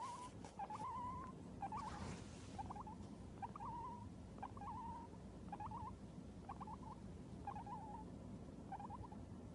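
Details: Short warbled chirping notes from a male Abyssinian guinea pig on waking, repeated about once a second in a steady series over low room noise.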